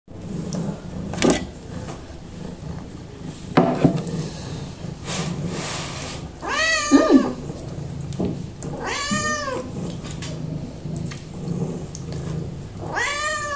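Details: Kitten indoors, in a home where it eats broccoli, giving three clear meows, each a rising then falling wavering cry, spaced about two seconds apart, with quiet household sounds and a person greeting in Russian.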